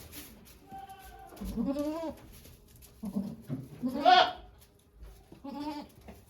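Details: Goat at Yoshigake farm on 3 May 2023 while the goat Okayu delivered two kids before volunteers; several quavering bleats, one harsh and loud near the middle, mixed with low rustling and faint voices.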